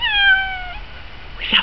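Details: Pet cat eager to go outside to birds at the feeder, which flew off at her meow; one drawn-out, clear meow falling slightly in pitch, followed by a brief click.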